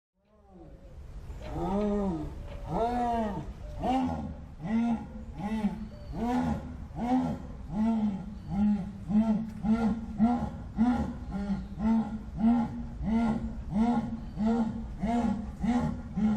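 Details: Jaguar (Panthera onca), also called onça-pintada, giving a rhythmic sawing roar: a long series of deep, hoarse grunting strokes, roughly one and a half per second, starting heavier and settling into a steady repeated pattern.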